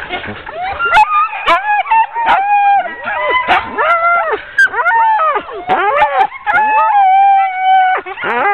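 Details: Ten-dog sled team being hooked up for a training run, 16 October 2010: a dense overlapping chorus of high yips, drawn-out whines and sharp barks from many excited dogs at once, with thin sustained howling tones threaded through.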